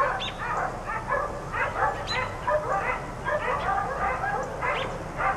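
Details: Barking from four dogs left outside all day: quick, high yapping barks in tight runs, a few sharper yelps standing out, with a faint hiss beneath.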